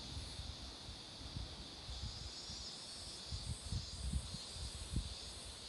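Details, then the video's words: Cicadas singing beside a road where marigolds are in bloom; a steady, high, hissing drone holds throughout, with soft low rumbling and rustling underneath. "매미소리도 들어 보세요"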